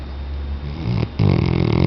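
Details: Tchesco, a Weimaraner, snoring: a soft low rumble that breaks into a louder, buzzy, vibrating snore in the final second, rich in low harmonics.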